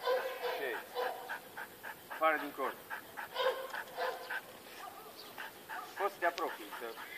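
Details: Belgian Malinois puppies, several at once: high-pitched yelps and short barks in irregular overlapping bursts through the recording, some rising and falling in pitch, with voices faintly mixed in.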